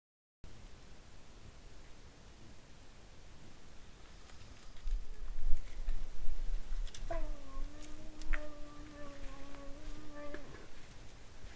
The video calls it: Orignal vocalise des orignaux!